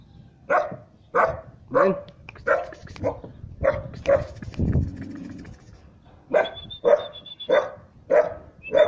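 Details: Siberian Husky puppy, three months old, barking at an unfamiliar person; a fast series of short, mid-pitched barks, about one every half second, with a brief pause and a faint whine midway.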